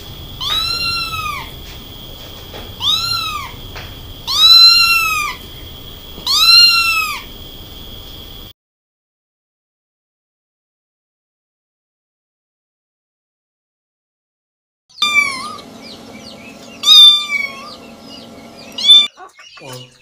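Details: A small Munchkin kitten calls repeatedly while stuck in a narrow pipe hole awaiting rescue. Four loud, arched, high-pitched meows come roughly every two seconds. After a silent gap, several shorter broken cries follow among clatter.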